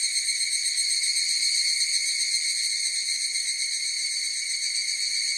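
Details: Chorus of higurashi cicadas: a steady, shimmering high-pitched drone with ringing tonal bands, softly pulsing at about four beats per second, and no other sounds.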